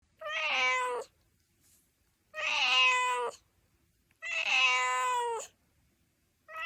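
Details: Domestic cat meowing indoors: three long, clear, harmonic meows of about one second each, spaced roughly two seconds apart, slightly rising then falling, with a fourth beginning at the end.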